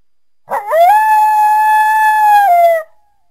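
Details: Lone coyote howl opening with a brief yelping rise, then a long steady tone held for about two seconds before dropping slightly and ending abruptly.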